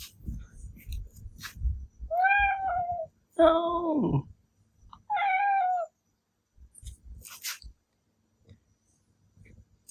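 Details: Male Ragdoll cat Milky, born 13 May 2021, indoors, a talkative cat that sometimes howls like a wolf and becomes furious when its meow is imitated: three drawn-out harmonic meows, the middle one longer and sliding down into a low howl, with faint room noise.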